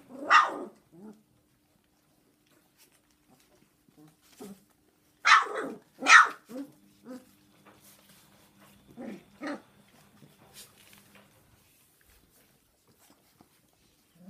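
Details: Indoor dog barks where Jack Russell terriers Heaven and Diva help a Golden Retriever mother look after her 3.5-week-old puppies in the evening; sharp barks come singly and in a close pair, with quieter yips and a steady low hum.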